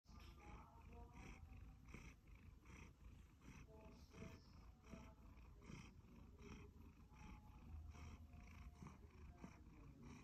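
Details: Sacha, a one-year-old male Siberian Forest cat, purring happily: a low, steady rumble with soft rhythmic pulses about every half second, continuous throughout and quiet.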